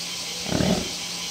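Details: American bison at Higashiyama Zoo in Nagoya. The male Ryo has come close, and the female Mao is calling to him from a distance. A brief, low, moaning grunt with a steady tone lasts under a second over a constant hiss.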